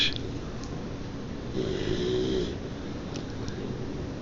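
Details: Three-month-old Dogue de Bordeaux (French Mastiff) puppy snoring indoors: a soft, low, rasping breath noise that swells into a brief tonal drone midway, then fades back into steady room hiss.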